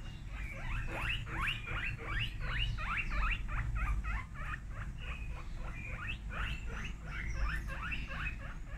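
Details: Guinea pigs screaming very loudly: fast, continuous series of short high squeals, roughly three per second, overlapping in a chattering chorus above a constant low background hum.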